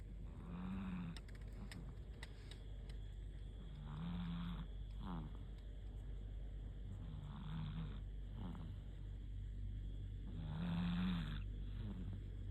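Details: Sleeping cat snoring before the pre-dawn sahur meal: a low rumbling snore with breathy hiss returns about every three and a half seconds, over a steady low background hum.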